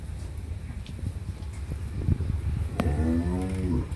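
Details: Friesian dairy cow on a farm in Pabna, Bangladesh, in her second calving with a bull calf and giving 20-22 litres of milk, lets out one low, drawn-out moo of about a second near the end after a stretch of rumbling background noise.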